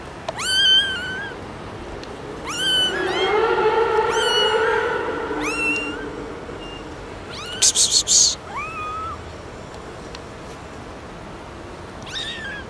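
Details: Domestic cat or kitten meowing repeatedly, from a compilation of noisy cats: loud, high, bending meows every second or two, one overlapped by a lower drawn-out whine, with a brief burst of rustling noise midway.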